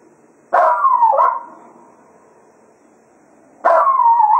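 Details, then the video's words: Cato, Jack Russell Terrier, sings farewell to the hounds at the end of a foxhunting day at Quail Roost; two loud howls about three seconds apart, each starting abruptly and sliding gently down in pitch. "Cato Serenading the Hounds after a Day of Hunting at Quail Roost"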